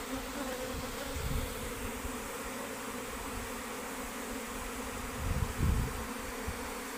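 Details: Dense, unbroken buzzing of worker honey bees deserting their beehive, an even droning tone throughout, with two short low rumbles near the start and end.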